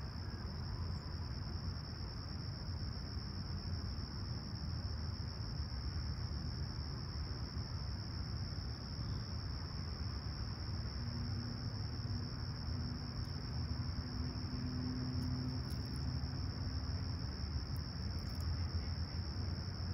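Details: Chirping crickets on a serene July 28, 2020 sunrise in Toronto's Humber Bay Shores, 20ºC and calm: a level, piercing trill sustained without pause, a brief low hum partway through, and steady deep rumble beneath.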